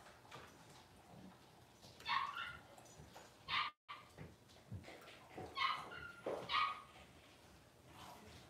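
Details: Litter of six-week-old Cavalier King Charles Spaniel puppies getting dewormed and toenails trimmed indoors: repeated short, squealing whimpers and yips, about six cries spread over eight seconds, above steady low room noise and handling sounds.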